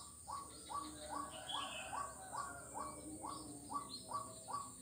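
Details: Frog calling on 4 November 2021 along Jalan Kolonel Sugiono, Kuala Kapuas, Central Kalimantan, Indonesia: a short, slightly upswept note repeated about every 0.4 seconds, with birds chirping higher and a steady insect hiss behind.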